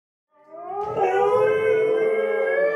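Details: Dingoes from a rescue, three animals howling indoors in a studio; a long sustained tonal howl rising then holding steady, with overlapping voices layering harmonics, no other sounds.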